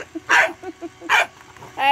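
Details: A bulldog playing with a bubble machine gives two sharp barks under a second apart, then a rising whine, while a woman speaks to it.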